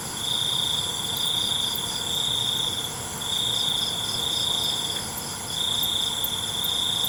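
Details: Crickets calling after dark with a piercing, continuous-sounding trill delivered in long swells and short gaps, the rhythm loose but persistent, with a few faint ticks above it.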